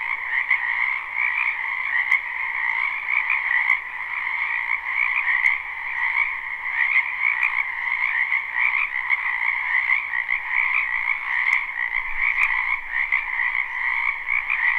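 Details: Spring wetland frog chorus recorded live: countless croaking frogs merge into an unbroken shimmering drone of high and middle tones, with occasional sharp clicks standing out above.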